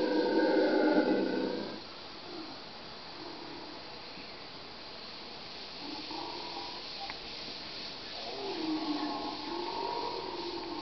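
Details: Howler monkeys give a deep, rasping roar that fades out after two seconds. Quieter moaning howls follow, then the chorus swells again near the end into a wavering, rising-and-falling drone.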